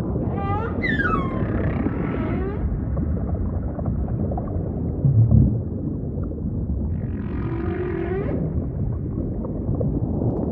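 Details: Humpback whale song over a rumbling ocean background: an opening harmonic whoop sweeping upward, then a quieter stretch, followed by a gritty, buzzing unit with a low moan beneath it.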